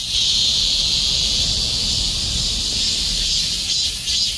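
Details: Robust cicada in summer, an unbroken high-pitched droning buzz held throughout, with only faint pulsing appearing in the final second.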